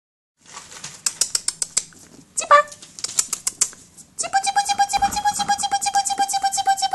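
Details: An almost six-week-old Basenji puppy gives a high, wavering whine after a run of quick tapping clicks.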